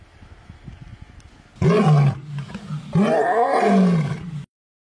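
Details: Captive male tiger playing in the snow in February 2023; two deep, loud roaring moans, the first short and the second longer and wavering, after a few quiet seconds.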